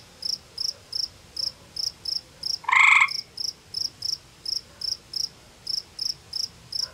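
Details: Gray tree frog calling from a small cave beside a pond in an Ontario, Canada forest, a rival male answering; a loud short trill near three seconds amid a steady high insect-like pulse repeated about three times per second.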